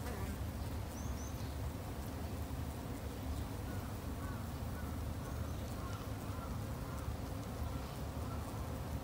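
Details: A dense, unbroken low buzz from Japanese honey bees at a garden hive, the drone holding level for the whole stretch, with faint high twitters far behind.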